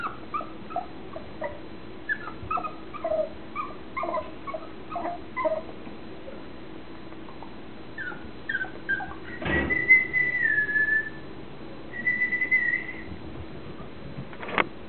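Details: Mixed-breed puppy aged nine weeks and three days, making a run of short high whimpers and yips, then a drawn-out whining squeal and a second thin whine, with a sharp knock near the end.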